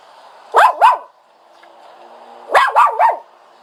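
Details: Two bursts of dog whining: a pair of squeaky yelps, a short pause, then three more quick rising-falling yelps.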